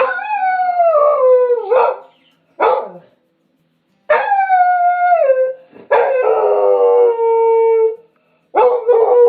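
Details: Several loud dog howls in sequence, each starting high and sliding downward in pitch, separated by brief gaps, with some harsh yipping onsets.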